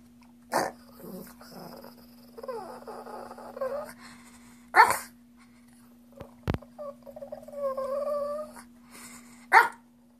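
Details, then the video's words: Wanting a treat, Chrissy the Shih Tzu alternates sharp yelping snorts with long wavering moans and rising-falling whines, repeated over about ten seconds in a quiet room with a steady background hum. "Alien Shih Tzu Wants Treats"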